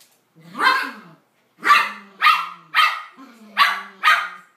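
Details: A male toy poodle, shut out by his mate who has barricaded herself away during a spat between the pair, calls to her desperately in a run of sharp, high barks, one roughly every half second.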